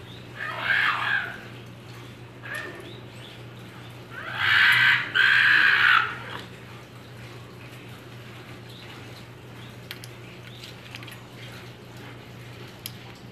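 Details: Captive Arctic foxes kept at a school, held in a smaller space after an air-conditioner breakdown, give harsh, raspy screaming calls in short bursts over a steady low hum; timid, they squabble for more food.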